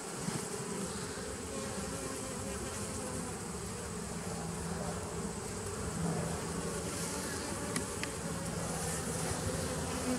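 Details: Honey bees of a 2017 nucleus colony, recorded 27 September 2018: a dense, steady hive hum with a low droning band and grainy higher hiss, unbroken for the whole stretch, with faint brief clicks near the end.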